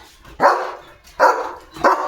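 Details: Male German Shepherd on morning guard duty at a house gate, barking loudly at another dog passing in front of the house: three deep, harsh barks spaced about 0.7 seconds apart, with quiet gaps between.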